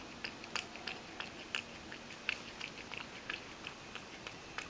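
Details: Mojio, a pet Ragdoll cat, laps milk indoors and spills some while drinking. Quick, crisp wet ticks come in an uneven run, several each second, over a quiet room hush.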